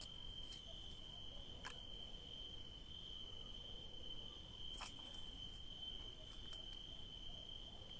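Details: Crickets at night among grapevines, a steady, unbroken high-pitched trill droning throughout, with faint ticks and a low background rumble.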